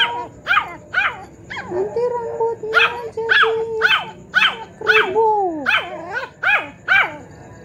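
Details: Clever cute Poodle yapping in conversation with a grandmother, rapid high barks about two per second, broken by drawn-out, sliding human voice tones between bursts.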